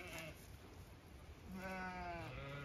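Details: Chatty Zwartbles ewes in a pasture in County Kilkenny, Ireland, calling while their field is checked; a brief distant bleat at the start, then a clearer harmonic bleat rising in the second half over low background rumble.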